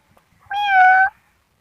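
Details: Kitten giving one clear, drawn-out meow lasting about half a second, a steady tonal cry with bright harmonics and a slight pitch sag at the end, in near silence.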